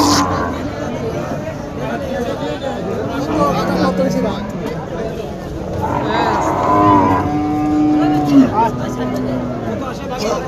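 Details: Cattle at a Qurbani cattle market during buying: a drawn-out, steady low moo midway through, over a loud, busy crowd murmur and nearby voices.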